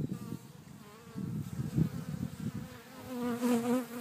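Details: Garden bees at Cretingham, Suffolk: a low droning buzz with rich overtones, wavering in pitch and rising into a stronger, brighter hum near the end as one flies close.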